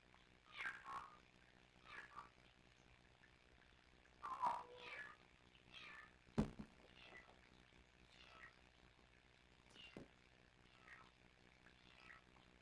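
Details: Two tiny kittens, Sisko and Mila, at the Tiny Kittens Society rescue, trilling and talking to each other on a live cam; short chirpy trills and mews come in scattered bursts, with a sharp click near the middle and quiet room noise.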